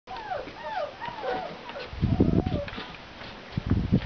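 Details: Five-week-old English Mastiff puppies give a run of high, wavering whines and squeals that bend up and down, followed by heavier low thumps and rustling.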